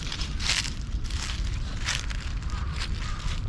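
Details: Dry leaves crunch and rustle in repeated bursts over a low outdoor rumble, with no animal voice. The crackling comes in soft, uneven pulses, like steps pressing into a thick layer of fallen leaves.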